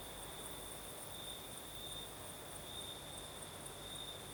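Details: Crickets singing at night in Crimea in the south, with a night breeze: a steady high trill holding one pitch, flickering pulses above it, and a soft low rumble underneath.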